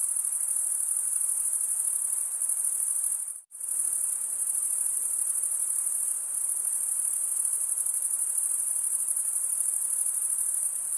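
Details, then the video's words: Crickets chirping at night in a summer forest: a dense, steady, high-pitched trill that runs unbroken except for one abrupt silent gap about three and a half seconds in, then resumes at full strength. "Pure cricket music for 20 min"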